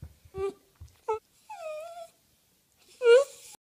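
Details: Dachshund giving short wavering whines and a drawn-out, moaning wail, with brief soft thumps between the tonal cries and a final louder rising whimper near the end.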